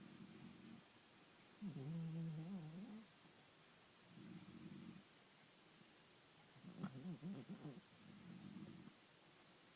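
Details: Sleeping Bull Terrier snoring and apparently dreaming, together with a man snoring nearby. Low, rasping snore bursts come about every four seconds, alternating with wavering, tonal groaning sounds near 2 and 7 seconds.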